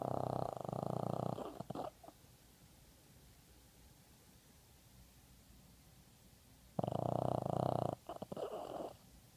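A Boston Terrier snoring, with loud, rough, rattling breaths separated by long quiet pauses.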